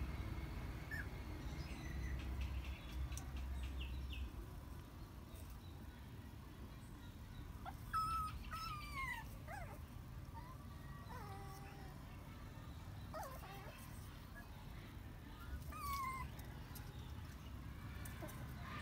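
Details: Sleeping puppies lying in rows give soft, high squeaky whimpers and short descending whines, scattered irregularly with a busier cluster midway, over a steady low rumbling background.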